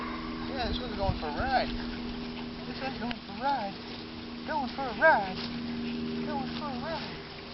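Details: Hooda's puppies, almost six weeks old, out on their first walk on a mild day around 60 degrees: a scatter of short, arched whimpering yips, rising then falling, some overlapping, over a steady low hum, with a human voice faintly in the background.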